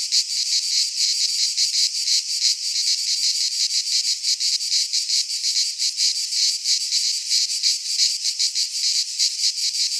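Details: Cicadas singing in midsummer in a Greek pine forest: a dense, loud, continuous buzzing drone, high-pitched and pulsing rapidly without a break, with no other sounds present.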